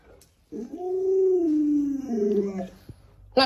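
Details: Pet Alaskan Malamute Luoluo responding to its bedridden sick owner with a single long, mournful howl that swells, then glides steadily lower for about two seconds before trailing off into quiet.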